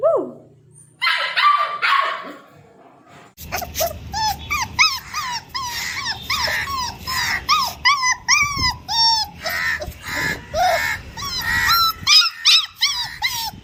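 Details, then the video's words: Puppies speaking on command, giving a rapid series of high-pitched yips and squeaky barks, some bending up and down in pitch, roughly twenty in quick succession after a spoken command, with a low background hum. "puppies making sounds puppy dog 🐶🐕 speaking"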